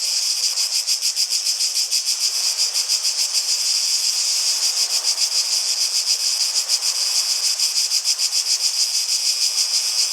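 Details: High-pitched cicada song, a continuous sizzling buzz with rapid rhythmic pulsing of about three beats each second, unbroken from start to finish.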